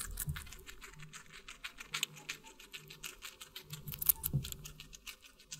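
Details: Guinea pig eating watermelon, close-miked in an ASMR mukbang recording: rapid, crisp clicking and crunching bites in quick bursts, with a faint low steady hum underneath.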